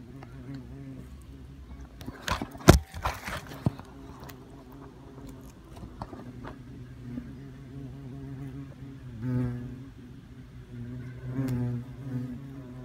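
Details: Low humming drone of European hornets around their nest, which came down with a limb from an ancient oak on the Isle of Wight. Sharp knocks and clicks come near the start, and the buzz swells twice later.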